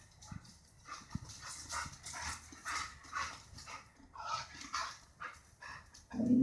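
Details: Bird-averse Border Collie giving a run of rough, mid-pitched vocal bursts and yelps, ending in a louder harmonic bark.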